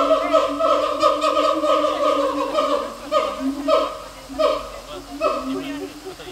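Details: Siamang at Taipei Zoo giving a loud series of repeated rising hoots and barking whoops in clear, stacked tones, sometimes nearly a second apart, with bursts rising and falling in pitch.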